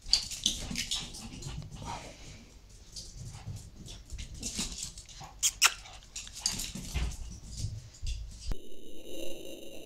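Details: Cora, a Shih Tzu, having fun playing with her favourite toy; quick bursts of snuffling, snorting and scuffling sounds through most of the stretch, ending with a steady high tonal hum from the toy.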